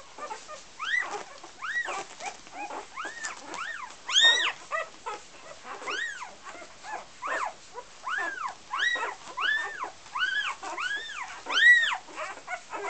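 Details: Golden Retriever puppies from Gabriella and Josh's litter at an Icelandic kennel whimper and whine, a mix of softer and louder arched cries rising and falling in pitch, repeated about once a second over a faint background murmur.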